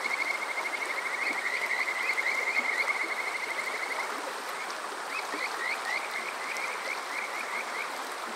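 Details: Kajika frogs on a summer night at Water Park Shirayama in Yokoze, Chichibu, Saitama, Japan: a fast trill for about four seconds, then slower rising whistled notes roughly three per second, with rushing stream water throughout.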